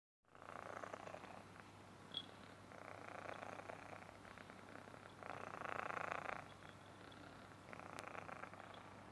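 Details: Himalayan Persian kitten purring, a soft low rumble with brighter pulsing bursts swelling and fading every couple of seconds, a faint steady hum underneath.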